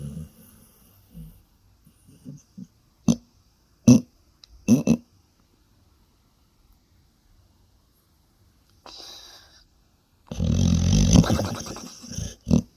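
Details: Female pet dog making funny noises while asleep: short low grunts and snorts scattered over the first five seconds, then quiet, then a long loud rasping snore-like burst followed by one more snort.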